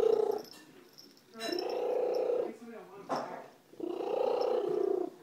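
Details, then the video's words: Slugo, a female pet cat adopted after being found by the roadside, purring loudly indoors: three long buzzy, rumbling bursts, each about a second, separated by quieter breathing gaps, with faint background sounds. "Worlds loudest cat"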